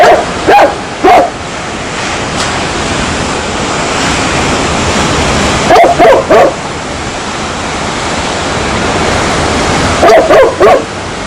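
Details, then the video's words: Dog barking in paired bursts: two quick barks near the start, another pair around six seconds and a third pair near ten seconds, over a steady loud rushing hiss like surf or running water. "SOM de CACHORRO LATINDO"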